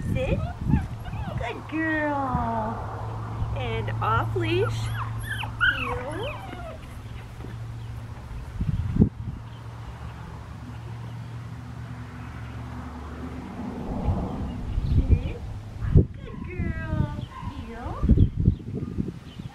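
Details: Black tri female Australian Shepherd puppy, 7.5 weeks old, at Fifteen Acre Farms in Talala, Oklahoma, on April 19, 2022, described as super submissive; high wavering whines rise and fall in bursts, with a low hum and a man talking.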